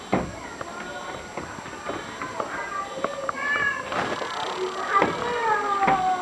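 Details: Meerkats at Seoul Grand Park Zoo, 2007, give a rapid series of short, high, chirping peeps, with a voice audible in the background.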